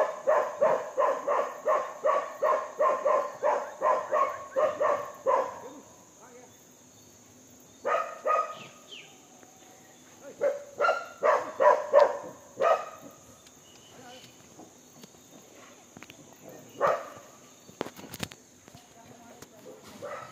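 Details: Monkey vocalising during feeding, opening with a fast run of about twelve rhythmic harsh chattering notes, then scattered bursts of similar calls between quieter gaps, with faint background noise and a constant high whine.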